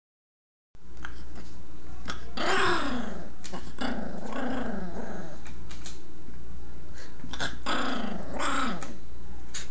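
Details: A chihuahua growling, filmed on a phone; low, rough rumbling growls that rise and fall in pitch, repeated in drawn-out waves over steady background hiss.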